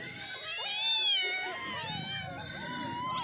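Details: Cats meowing while eating, overlapping drawn-out tonal meows that bend up and down, with faint low background noise.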